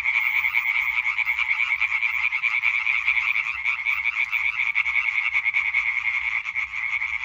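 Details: Hyla arborea concert from 20 May 2023, a dense wall of quick, nasal croaks from many tree frogs overlapping into one unbroken rattling chorus.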